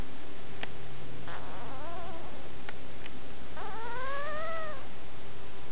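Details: Baby dog whining, a wavering soft cry followed by a longer, clearer whine that climbs then eases down, with a few faint clicks and a constant hum behind.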